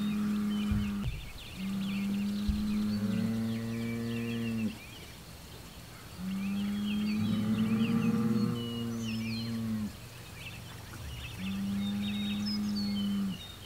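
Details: Rival bull exchange: Homebrew, a Hereford bull, faces south toward a Hereford bull and an Angus bull just across the road, June 17, 2023. Drawn-out, low, steady bellows lasting several seconds each, with breaks between; faint birdsong above.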